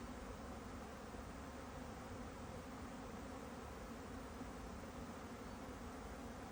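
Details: Continuous low drone of a honeybee, an even hum that neither rises nor breaks, with nothing else clearly heard.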